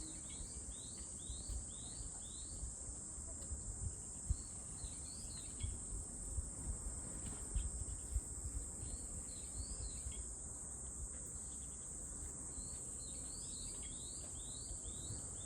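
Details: Unwavering high cicada drone fills the recording, overlaid by repeated short upward-sweeping chirps in several bursts and scattered low knocks and rumble beneath.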